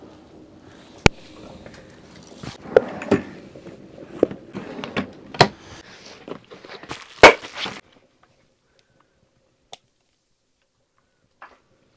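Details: Knocks, footsteps and handling noises fill the first eight seconds, followed by near silence broken by a few isolated clicks.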